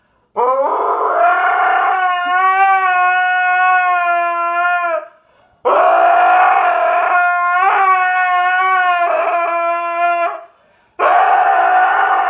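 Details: Dog making funny noises: three long, loud, sustained howls of several seconds each with short breaks between, steady in pitch with slight wavers.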